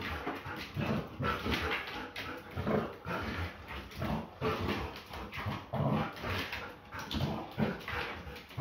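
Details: Female Belgian Malinois play fighting, growling and grumbling in repeated rough bursts, some brief whiny whimpers mixed in, with constant scuffling noise throughout.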